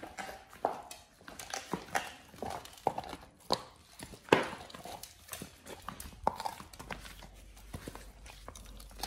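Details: Pit Bull named Oliang gnawing his first raw ostrich paw inside a small room; loud crunching bites and cracking chews at irregular intervals, roughly two or three per second in busy stretches, over a faint low hum.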